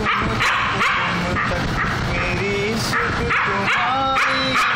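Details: A Siberian Husky howls in sliding, wavering tones along with a playing Hindi song, "Tum Tak," with a human voice singing.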